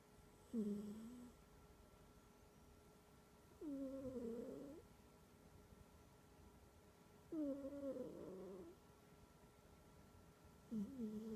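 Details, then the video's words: A sleeping house cat snores loudly with a humming, tonal sound. Four buzzing breaths come roughly every three and a half seconds, with near silence between them in a quiet room. "Кошка храпит"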